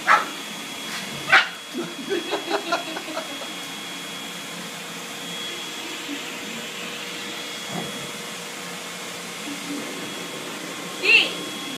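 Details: A Boston Terrier puppy fighting a vacuum cleaner gives sharp, yappy barks, some singly and some in a quick run, over the vacuum's steady hum.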